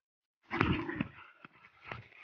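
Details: A female Rottweiler lets out deep, gravelly barks with a growling edge, in short bursts at uneven intervals of about half a second, each trailing into a rough rumble.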